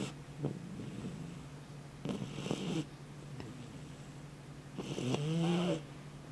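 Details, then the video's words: Sleeping Dobermann puppy snoring: two rough, breathy snore bursts, the second ending in a short nasal whine, over a steady low hum. "Snoring doberman puppy"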